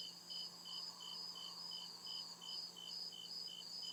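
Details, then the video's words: Crickets in deep night forest, shrill chirps repeating steadily around 140 per minute atop a persistent high whine, a soft low hum underneath. "CRICKET CHIRPING SOUND"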